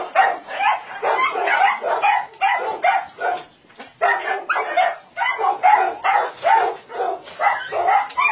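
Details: Dogs at a combined meat farm and puppy mill in Nonsan, South Korea, January 2017, among 150 dogs including Doberman, Shar Pei, Chow Chow and Golden Retriever; rapid, overlapping harsh barks, roughly two per second, with a brief lull near the middle.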